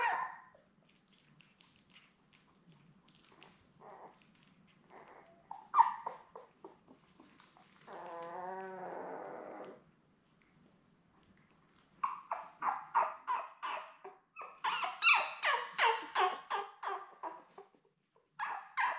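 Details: Newborn Labrador Retriever puppies, a litter of seven born May 24, 2021 to mother Belle, recorded indoors on a puppy cam on June 4: scattered soft whimpers, one drawn-out wavering cry, then rapid bursts of high squealing yelps.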